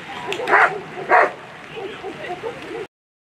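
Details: German Shepherd at a world championship agility event giving two loud, sharp barks half a second apart, followed by murmuring human voices in a reverberant hall.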